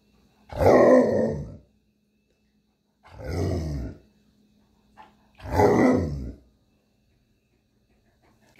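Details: Indoor pet Alaskan Malamute from the pair Tonka and Monroe answering questions about New Year 2020 resolutions: three rough, throaty grumbling vocalisations about a second long, spaced roughly two and a half seconds apart, over a faint steady room hum.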